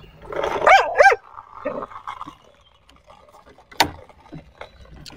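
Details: A pet dog, happy with the day's weather, gives two quick high yelping barks near the start, then softer mutters and a sharp short sound near the end.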